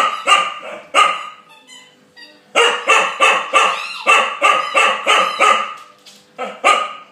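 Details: An 8-month-old female Chow Chow barks in loud, harsh bursts, several in quick succession, at a bulldog over his bone.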